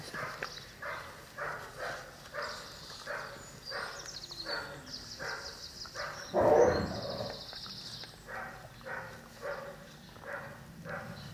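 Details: Twelve-week-old Cane Corso puppies: a steady run of short, harmonic yelping whines about twice a second, one louder burst midway, with high trilling bird calls in the background throughout.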